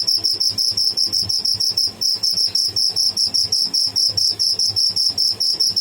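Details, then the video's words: A live tidda, a cricket, gives rapid shrill chirps, evenly spaced at about six per second, with a brief gap near the middle before the high pulsing resumes; a low background hum underneath. "Tidda making bad sound / noise"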